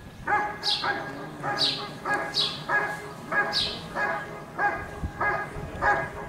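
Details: At a 2022 IGP CACT trial in Russia, the Giant Schnauzer Rick vom Lindelbrunn barks in an even, repeated series. Eight or nine ringing barks come roughly every 0.7 seconds, with a quiet background.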